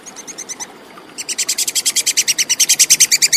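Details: Tupai kekes, the plantain squirrel, recorded clearly as bird-tutoring material: a few softer chips, a short gap, then a rising, louder run of crisp, rapidly repeated clicking notes.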